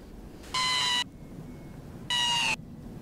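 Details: Desert rain frog (Breviceps macrops), defensive squeak: war cry of an angry, threatened frog.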